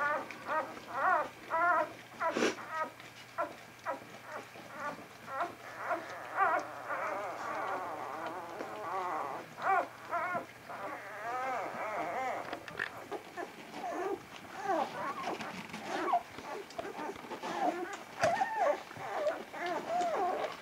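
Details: Litter of Vizsla pups belonging to Batai, filmed 10 January 2013: many overlapping thin whimpers and squeals form a continuous chorus of wavy, bending cries, with a click near two and a half seconds and a steady hum beneath.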